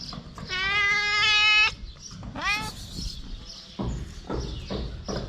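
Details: Mother cat with her kittens, stray cats: a long, steady, harmonic-rich meow lasting over a second, then a shorter rising meow, followed by soft rustling and clicks, with a voice softly saying "cute".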